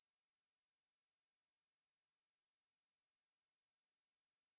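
A conehead katydid gives a steady, high-pitched buzzing trill that pulses a few times each second.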